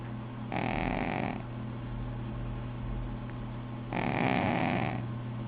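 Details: Snoring from a sleeping cat: two breathy, rasping breaths about three and a half seconds apart, over a steady low electrical hum.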